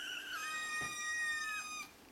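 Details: Seven-week-old Ragdoll kittens at breakfast feeding, the litter eating raw-meat-rich food indoors; one long, high, steady kitten meow with many clear overtones, slightly wavering, lasting nearly two seconds in a quiet room.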